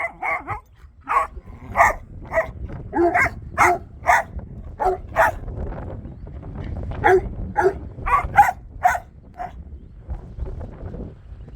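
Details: Domestic dogs barking nonstop at an empty patch of ground: a steady series of short, clipped barks at roughly half-second intervals, with a brief lull midway before the barking picks up again.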